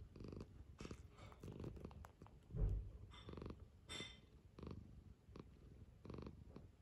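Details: Cat rousing for breakfast gives a close, loud, low purr pulsing in even waves, broken by a sharp soft knock partway through, then the rumbling carries on steadily.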